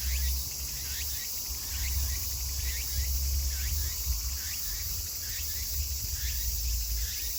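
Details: Meimuna opalifera cicadas chorusing in Kawagoe, Saitama, Japan, on 24 August 2020 at summer's end: short rising, curling phrases repeat every half second or so over a steady high insect hiss and a deep low rumble.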